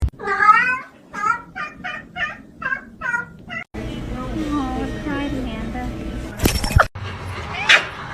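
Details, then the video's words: Kitten meowing: a run of six short, high, arched mews, evenly spaced about every half second, followed by a stretch with background music and talking voices. "kitten meowing"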